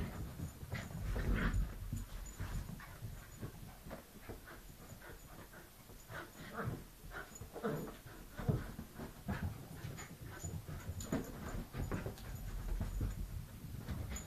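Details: Wire Fox Terrier adult playing tag and tug with a puppy indoors; soft, quick, breathy panting and scuffling bursts about four per second, fairly quiet throughout, with low rumbling handling noise underneath.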